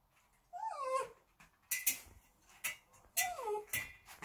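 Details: A timid female Bichon Frise, born March 2019, makes drawn-out, wavering whines that bend up and down like talking as her dad leaves and a walk is mentioned; owner wonders what she says. Finding: Bichon Frise.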